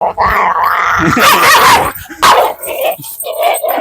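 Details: Dog named Jackie, described as a fierce biter, during a dog challenge; a sustained whiny tone gives way to two sharp, loud bark-like bursts about a second apart, then quieter whimpering.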